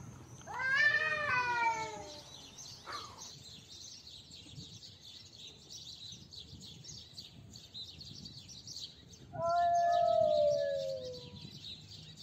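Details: Domestic cat during a fight gives two drawn-out, harmonic-rich yowls that slide downward, one near the start and another about eight seconds later, over a steady high-pitched hiss of background noise.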